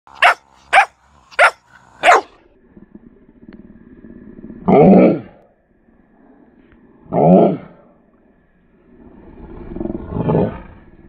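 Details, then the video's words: Mastiff puppy acting tough: four quick, sharp yaps, then a low rumbling growl, followed by three deeper, harsh barks spaced a few seconds apart with growling between them. "Mastiff puppy thinks he’s tough"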